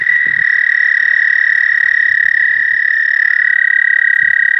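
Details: Continuous, even, high-pitched trill of an American toad calling to mate, sustained throughout, with a second slightly lower trill joining near the end and faint low knocks in the background.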